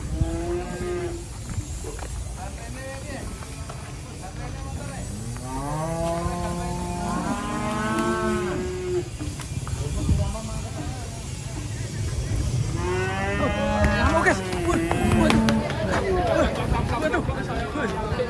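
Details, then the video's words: Restless cattle coming off a truck; repeated deep, drawn-out moos from several animals, some rising and bending in pitch, with background music and a low rumbling hum throughout. "KUMPULAN SAPI NGAMUK TURUN DARI TRUK HARI INI"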